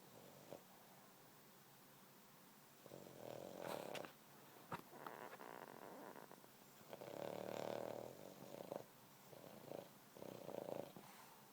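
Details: A sleeping Boston Terrier snoring: soft, breathy rasping bursts with a midrange hum, each about a second long and spaced a few seconds apart, quiet throughout.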